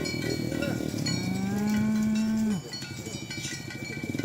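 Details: Tame cattle herded along village roads toward the pen in the morning: one long steady low moo held for over a second, ending abruptly, amid a dense clatter of cowbells throughout.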